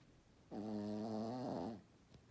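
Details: A sleeping Shih Tzu snores: one drawn-out, nasal, droning snore lasting just over a second, steady then wavering slightly before it fades, with a quiet background and no other sounds.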